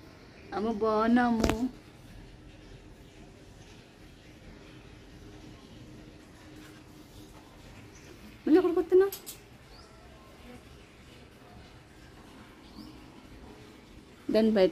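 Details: A dog gives three brief, tonal whining cries with wavering pitch. Each lasts under a second and they are spaced by long, near-silent pauses, with only faint background hiss between them.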